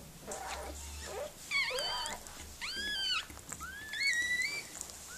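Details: Mirella, a Miniature Pinscher, whimpers while giving birth to puppies: loud, squealing whines that rise then fall in three drawn-out arcs, each nearly a second long, over a soft low hum.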